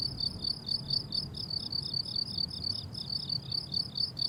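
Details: Crickets on a blooming summer meadow chirp in steady, high-pitched pulses, repeating several times each second.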